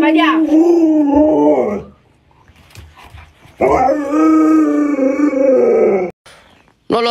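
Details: Alaskan Malamute pet Luoluo howling to wake its late-sleeping owner: two extended, warbling howls with a quiet gap between them, ending with a short human utterance.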